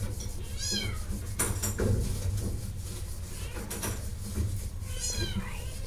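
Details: Shelter cat giving two clear meows, each a high, falling, harmonic-rich cry, one near the start and one near the end, with knocking and clatter between and a steady low rumble underneath.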